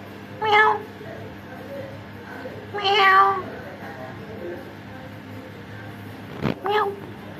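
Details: Orange cats visiting a home give three short, bright meows spaced a few seconds apart, with a sharp knock between the last two over low background hum.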